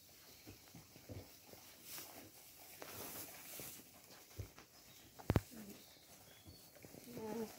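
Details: Hay-eating alpaca females at a feeding trough; irregular crunches and rustles of chewing, one louder knock near the end, and a faint tonal sound in the last second.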